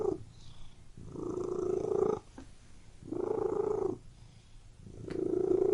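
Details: Domestic cat purring inside a room, a throaty rumble rising and fading in long swells about every two seconds, with soft gaps between breaths.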